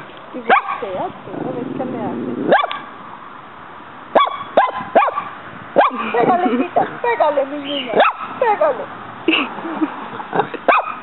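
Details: Muñeca, a pet dog confronting a praying mantis in a backyard, gives sharp barks and yips between stretches of Spanish speech from people urging her on; barking clusters around the middle and end.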